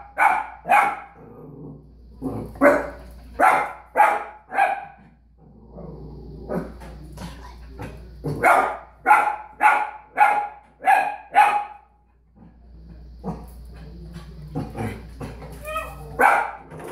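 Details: Several puppies confronted by their reflection in a mirror bark in irregular bursts, with a rapid run of high, clipped yaps midway, a brief silence, then more scattered barks and whines in a small room.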